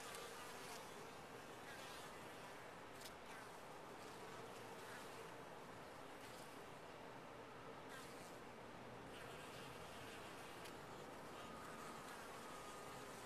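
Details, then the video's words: Honey bees in their top-bar hive make a continuous, grainy hum that barely changes in loudness, dotted with occasional light ticks and a faint whining tone. "Bees in a topbar hive"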